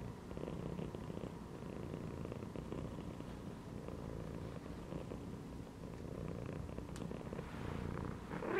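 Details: Domestic cat lying relaxed inside a gym belt, purring steadily: a continuous low rumbling throb without breaks, with a faint brief click near the end.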